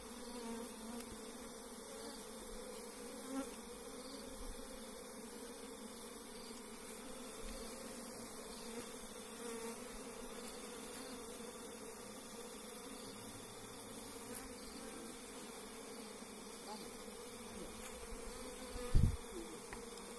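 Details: Wild forest honey bees buzzing while their hive is harvested with bare hands; a steady, low droning hum holds throughout, with a faint click near the end.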